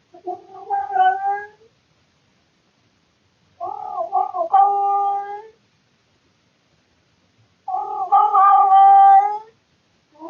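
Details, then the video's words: Male domestic cat indoors in the middle of the night, recorded by a surveillance camera, making loud, weird, bored calls: three long drawn-out harmonic yowls, each wavering and rising, about two seconds long, with pauses of about two seconds between them. "Cat makes weird sounds in the middle of the night"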